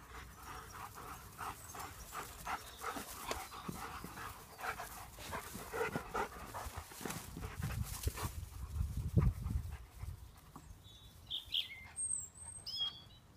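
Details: Several German Shepherds at play, panting in fast, uneven breathy huffs with low thuds from their movement; near the end the panting fades and a few faint high whistled notes appear.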